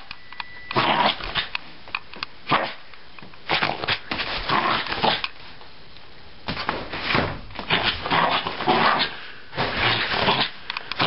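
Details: Little Jack Russell Terrier Lili goes wild after her bath indoors. Repeated bouts of harsh, growly barking come in bursts every second or two, with brief pauses in the excited play, echoing in a small room.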